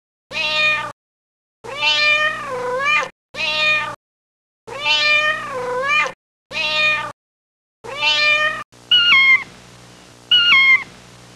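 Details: Kittens playing outside on garden grass give a run of drawn-out, wavering meows, some rising then falling, in short bursts with silent gaps, ending with two sharper, higher mews; abrupt cuts between calls.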